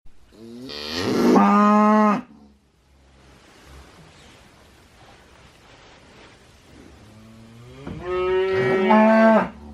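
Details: Cow mooing: two long, loud harmonic moos, the first at the start and the second near the end, separated by several seconds of quiet background hiss.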